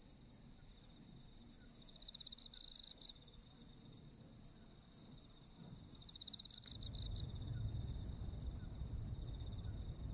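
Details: Autumn insects in Japan: a fast, evenly pulsed high ticking runs throughout over a steady thin trill. A louder buzzy trill swells near two seconds and again near six, over a low rumbling background.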